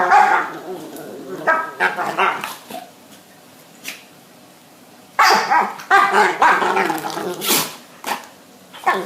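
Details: Two pet dogs, Babette and Luke, in a sneezing and barking exchange as Babette rejects Luke's advances: short harmonic barks and yelps, sharp sneeze bursts in two clusters with a quiet pause between, a human voice faintly present.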